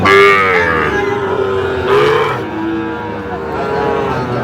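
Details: Cattle mooing at a livestock market in Faridpur on 17 August 2025, where a Sahiwal bull calf is being sold. A long, low, harmonic bellow begins the clip. Further drawn-out lows follow, with crowd chatter and haggling voices behind.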